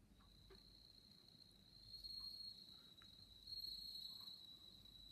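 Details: Bell crickets kept at a pharmacy in Funaoka-cho, Date, Hokkaido, Japan, near the end of their season on 27 September 2017, sing a high, sustained, ringing trill that swells in brief bright bursts.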